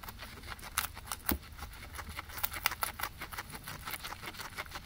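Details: Grass being eaten by two guinea pigs, recorded with a ZYLIA ZM-1 microphone array; sparse, sharp crunches and snapping bites come in uneven bursts over a low rumbling background.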